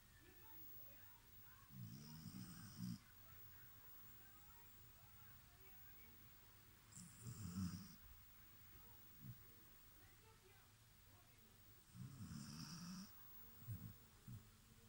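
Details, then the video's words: Sleeping dog snoring: three long, low, rumbling breaths with a hissing edge, spaced about five seconds apart, each followed by a softer snort, in a quiet room. "Собака храпит"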